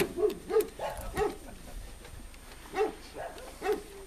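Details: Red deer in a meadow during the 2013 rut, giving a run of short, harsh grunting calls in quick succession, seven bursts in four seconds with a brief pause midway.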